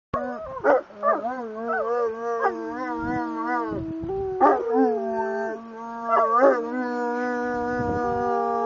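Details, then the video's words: Several Saint Bernards howl together in a singing chorus, overlapping sustained tonal wails that bend up and down in pitch, with short sharp yelps breaking in near one, four-and-a-half and six-and-a-half seconds. "Singing Saint Bernards"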